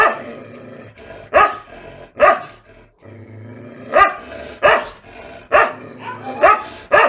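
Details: Rajapalayam dogs in South India bark aggressively. Loud, rough single and paired barks come at uneven intervals over seven seconds, with a short quiet stretch near the middle. The breed is used for hunting and guarding fields.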